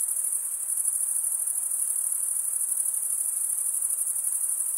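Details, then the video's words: Crickets singing at night in summer forest, a bright high continuous trill with rapid fine pulsing, steady from start to end, the only sound present. "Pure cricket music for 20 min"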